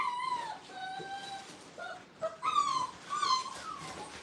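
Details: Brittany puppies, five weeks old, in their playpen for the first time at a kennel, whining in drawn-out tonal cries, some level and some falling, with a louder cluster of whines midway.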